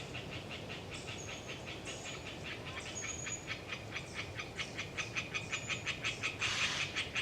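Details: Swamp forest frogs, Hyla orientalis, in Galeriç Subasar Forest, Kızılırmak Delta near Samsun, calling on a windy autumn day: quick rasping knocks repeated about three per second, growing louder, joined by thin high whistles, probably long-tailed tits, over wind.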